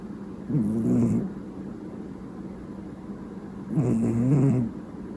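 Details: House cat named Mochizo snoring loudly, like an old man: two low, rough, rumbling snores about three seconds apart, over a steady low hum.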